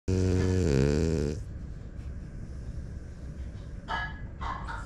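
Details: Smile, a pied female French Bulldog, snoring loudly: a long buzzy, harmonic rasp of over a second, then quiet breathing with faint rustles indoors.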